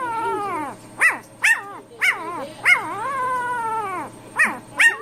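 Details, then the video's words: Household dog 'arguing' with its people: a steady, moaning whine broken by sharp, high yips about every half second to a second, seven in all, with a faint steady hum behind. "Funny Dogs Talking and Arguing With Their Humans"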